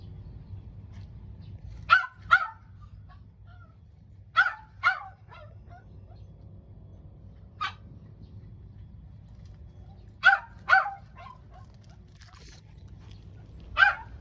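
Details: Mame Shiba dog reverse sneezing, honking like a goose, an occasional episode filmed for a vet; short harsh honks, often in quick pairs, near two, four and a half, seven and a half, ten and a half and fourteen seconds, over a steady low hum.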